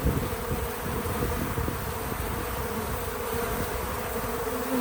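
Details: Outdoors on a small farm, bees crowd a feeder, giving a constant low-pitched drone of wingbeats. It stays level throughout with a faint tap at the start and no speech or music.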